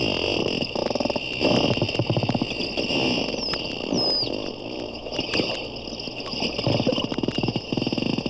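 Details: Two or more captive bottlenose dolphins (porpoises) underwater at a Daytona sea zoo, one at times very close to the hydrophone, produce rapid trains of clicks and a few high, sliding whistles.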